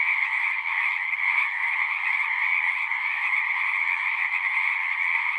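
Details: Frogs calling en masse, their overlapping trills merging into a constant buzzy drone at two pitch levels, steady and unchanging across the short stretch, with nothing else clearly audible.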